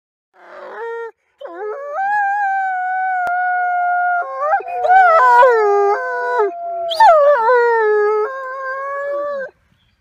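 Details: Captive-born one-year-old Canadian/Rocky Mountain gray wolf at a wolf conservation centre in South Salem, New York, howling in springtime: long, smooth, sustained tones with slight pitch bends, a second overlapping howl joining midway, ending in a falling slide.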